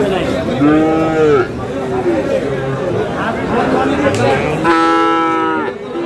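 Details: Friesian and crossbred bull calves at Aftabganj cattle market, Dinajpur, on 22 August 2026: two loud, harmonic moos, the first about a second long, the second rising then held, over steady crowd chatter and voices.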